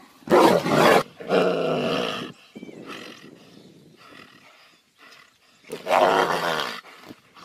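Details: Two tigers in a fight give loud harsh roaring bursts of about a second each, with quieter growling and rustling between them and a final loud snarling burst.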